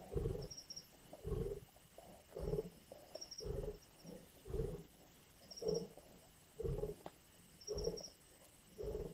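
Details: Lions feeding at a kill in Indian bush, growling, snarling and biting over a carcass; deep pulsing growls repeat roughly every second in a steady rhythm, while brief high bird chirps sound faintly behind.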